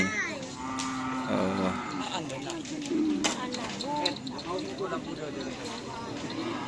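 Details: Cattle at a Karapan Sapi bull race at Asemanis field, Pamekasan: one short, low, falling moo rises above a dense din of crowd chatter and loudspeaker voices.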